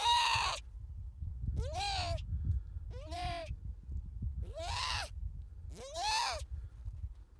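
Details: Young harp seal crying repeatedly: five loud, raspy, bleat-like wails about one to one and a half seconds apart, each bending up and down, over a low blustery background.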